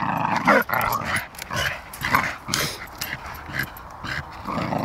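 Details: Two playing Staffordshire Bull Terriers trade short, harsh growls and snarls in irregular quick bursts, a couple of higher yips standing out early on.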